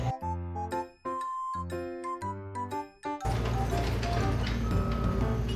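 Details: Cheerful chiming melody with a bouncy bass line gives way to a fuller, denser music section; no animal sounds are heard.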